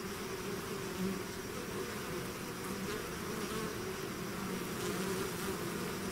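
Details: A hive's bee swarm pouring out, heard as a constant deep buzzing chorus with occasional louder passing bees, plus a faint thin high whine in the background.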